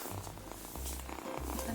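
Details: Kitten recorded on 8 April 2019 while held in its owner's arms, purring unusually loudly, louder than other cats, whenever touched: a steady low rumble in rhythmic pulses with a brief break midway.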